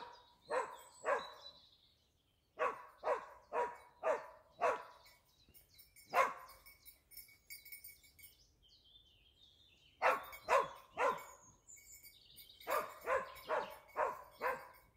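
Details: A Dachsbracke being trained for wild boar hunting barks in quick, loud bursts, several barks in a row, then pauses before the next run.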